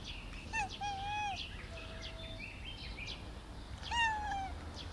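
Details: Black cat meowing outdoors: a short cry, then a longer level meow, a pause, and a third rising-falling meow, with light bird chirps and a low steady hum behind.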